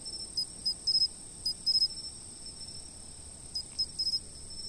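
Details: Insects chirping, filmed by a fixed camera: a steady, very high continuous trill runs underneath while short, sharp chirps come in quick clusters of one to four, with a few seconds' pause between clusters.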